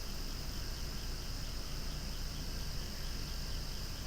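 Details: Cicadas calling so loudly they are almost noisy, beside swaying flowers outdoors; a steady, unbroken high buzzing drone holds for the whole stretch over a low rumbling background.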